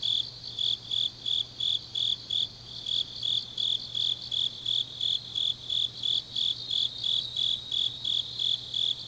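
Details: Grass insects on a deep autumn night in Changnyeong, Gyeongnam, South Korea: a high, steady chirp pulsed about three times a second, with fainter insect trills layered behind it.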